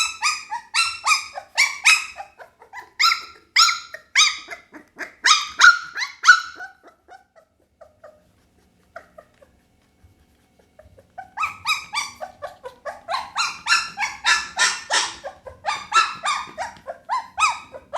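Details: Pit Bull puppy crying in two long bouts of quick, high, squealing yelps separated by several seconds of near silence, the second bout dense and insistent.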